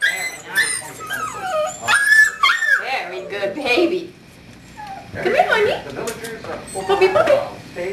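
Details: Jim Beam, a seven-week-old puppy from Star's fourth litter, recorded on 26 January 2012, gives high whines that slide up and down, in short bursts separated by a quiet gap, with human voices talking alongside.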